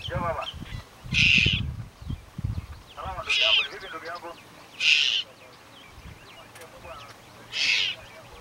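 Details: Baby leopard in the Serengeti giving brief, high-pitched crying wails at irregular intervals of one to three seconds, mixed with lower murmuring sounds and soft background noise.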